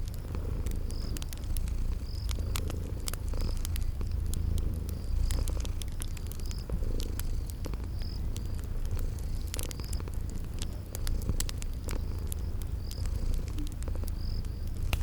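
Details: Deep, rhythmic purr of sleeping cats dominating a calm fireside spring-garden scene, with crisp fire crackles and sparse high cricket chirps about once a second.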